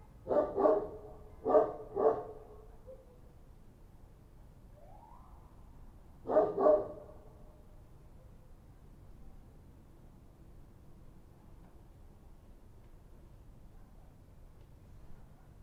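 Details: Night-time street dogs in Kabul, Afghanistan, identified as Kochi dogs: three short double barks spaced apart, then a faint rising whine and long quiet stretches of low background hum.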